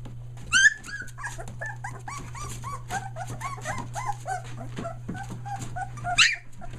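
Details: Young Aussie pups, almost three weeks old, from a litter including merles in North Carolina, give a rapid string of short, bent squeals and mewing whines, with two sharper shrill yelps near the start and end, and a constant low hum beneath.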